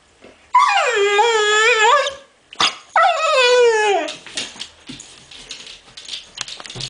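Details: Female pit bull, eleven months old, whining to get attention: two long, wavering, nasal whines of over a second each, the second sliding downward, then softer rustling and faint noises.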